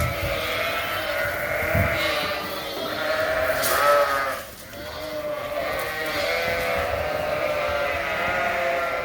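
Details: Suffolk lambs crowded together in a barn after their groups got mixed, giving overlapping quavering bleats with no pause, briefly dipping quieter midway, then the many-voiced bleating carries on.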